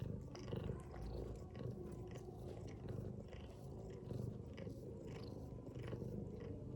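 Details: A mother cat sleeping among her kittens gives a low, even, vibrating snore throughout, pulsing gently in breaths, with faint tapping and small rustling noises.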